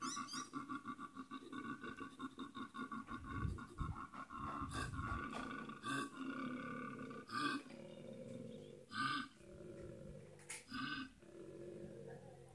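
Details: Male koala visiting a home garden occasionally, bellowing loudly to communicate with distant koalas, claiming territory and showing social dominance; rough, pulsed snoring rasps repeated in long runs, broken by deeper belching grunts, very loud throughout.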